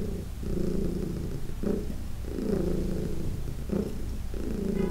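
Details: Fourteen-year-old cat Heidi purring loudly under massage, June 17, 2021; strong rumbling purr in breath-length phrases, inhale and exhale alternating roughly every second and a half.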